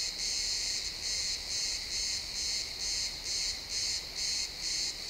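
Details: Chirping crickets in a pine forest at sunset: high, buzzy pulses repeating slightly faster than twice a second, somewhat uneven in spacing, with a dense insect hiss behind.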